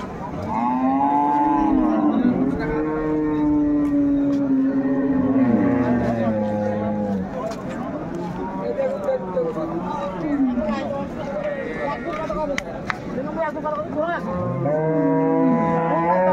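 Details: Cattle at Ambari livestock market near Dhaka, Bangladesh, on 21 May 2024, where farmers buy improved-breed dairy cows and calves. Long, low, drawn-out moos slide downward over several seconds, with overlapping calls and steady crowd chatter.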